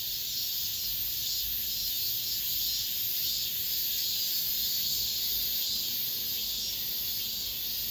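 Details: The last cicadas of summer in an apartment complex hold an even, piercing high buzz throughout, rising and falling slightly in intensity without pauses.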